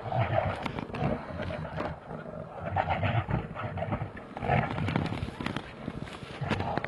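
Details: Two big brown bears fighting in Finland: harsh, broadband roaring growls in overlapping bursts, rising and falling throughout with little pause, mixed with scuffling noise.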